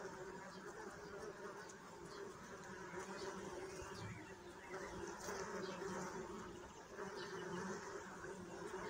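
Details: Bees buzzing in a dense, steady low hum with layered overtones. The drone holds unbroken for the whole stretch, with faint higher rustles above it.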